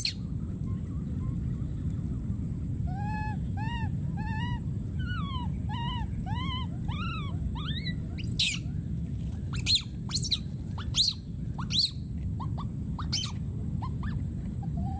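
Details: Baby monkey in the wild, alone and calling for his companion: a quickening series of rising-falling cries that climb in pitch, then give way to loud irregular clicks and snaps over low ambient rumble.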